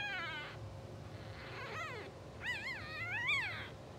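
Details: Sleeping two-hour-old English Bulldog pups of a blue sable litter let out soft squeaks, then a pair of quavering, wobbling cries rising to a louder peak near the end; a low hum runs throughout.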